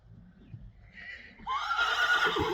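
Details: Friesian horse during a lunging session, a quiet shuffle and light hoof sounds first, then a loud sustained whinny that starts abruptly and holds a strong shaky tone for over a second.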